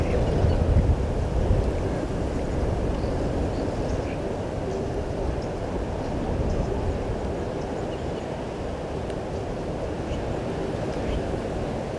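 Steady low rumbling noise like wind or distant water, with no clear animal calls.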